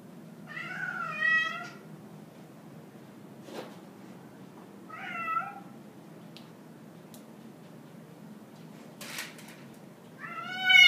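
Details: Cosmo, a grey and white domestic cat hostile toward a visiting orange tabby, cries three times in loud, strained meows spaced a few seconds apart, with soft clicks and knocks in a quiet indoor room.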